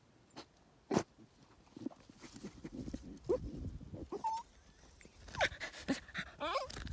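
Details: A male border terrier digs at the roots of a large tree after a hidden animal. Scraping and sharp thumps lead into brief high whines, one steady and one wavering near the end, over rustling.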